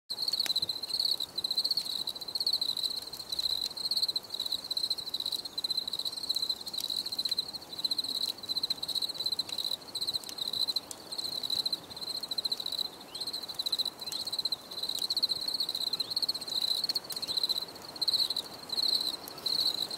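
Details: Crickets in a nature setting, chirping steadily for relaxation: a dense, high, pulsing trill held on one pitch with brief regular gaps throughout, and no other clear sounds.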